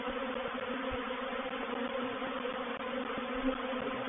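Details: Swarming honey bees settling into a bait hive at Painted Peacock Manor on 04/07/21: loud, even buzzing with a whining mid-pitched drone, thick and unbroken, with faint soft thumps.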